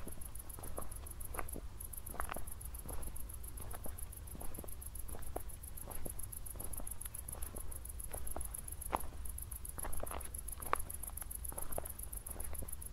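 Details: Night crickets in Zwettl, Austria, after a recent thunderstorm: shrill, rapid, evenly pulsed chirps continue almost without pause above scattered footstep crunches and a deep background hum.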